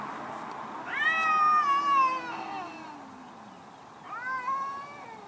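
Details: One of two angry cats fighting in a garden gives a long wavering wail lasting over a second, beneath a low descending growl, followed by a shorter second yowl.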